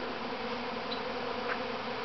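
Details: Honey bees swarming from their mother hive, the colony's first swarm, at Grass Lake Sanctuary in Manchester, Michigan, on 13 May 2012; a dense, steady, low droning hum of countless wings fills the air without pause.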